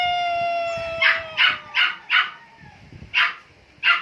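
A Siamese cat gives a long, drawn-out yowl that slowly falls in pitch, then short harsh bursts.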